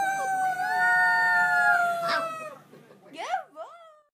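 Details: Pyredoodle puppy learning to howl by imitating a girl: a long steady howl gently rising then falling, followed by short yelping upward-bending whimpers at the end.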